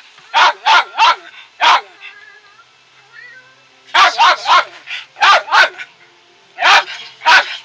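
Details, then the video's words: House dog barking insistently in tight clusters of three or four sharp yaps, a lone bark between, with soft whining tones in the gaps. "My dog wont stop barking"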